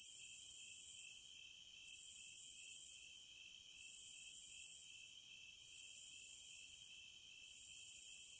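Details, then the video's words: High-pitched cicada song in swelling buzzes of uneven length, some running together, roughly five pulses in eight seconds, backed by an unbroken fainter whine. "Sounds of the Wilderness & Nature ASMR Study Rest Relaxation Sleep White Noise No Music - Cicadas"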